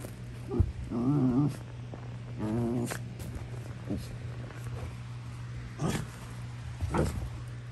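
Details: Prisca, a female Basenji putting on a tough act, gives short wavering squeals with a warbling pitch, two bursts near the start and a brief third. Softer grunts and snuffles follow over a steady low hum.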